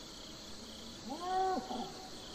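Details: Domestic livestock cattle, a brief moo of about half a second that rises, levels out and falls abruptly, with a softer echoing tail afterward. A constant high-pitched insect-like drone runs underneath.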